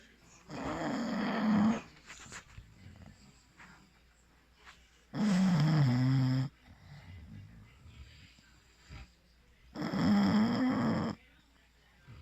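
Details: English Bulldog asleep and snoring indoors: three loud, rasping, drawn-out snores, each about a second and a half long, coming roughly every four to five seconds, with softer wheezy breathing between them.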